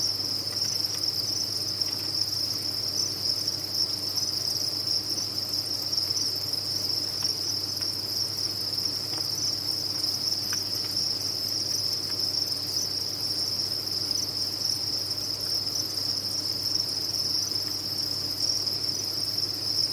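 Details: A cricket farm's captive crickets produce a continuous shrill chirping chorus, a steady high whine with no pauses across the whole stretch, a few faint clicks and a low background hum beneath it.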